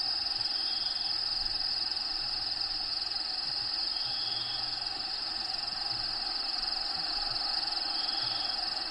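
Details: Continuous high, even cricket trill from within a bearded dragon enclosure. Played-back natural habitat sounds add soft low hoot-like pulses underneath.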